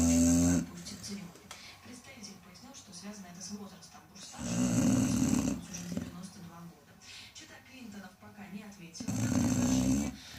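A Chow Chow snores loudly, with rough, rumbling breaths returning about every four to five seconds.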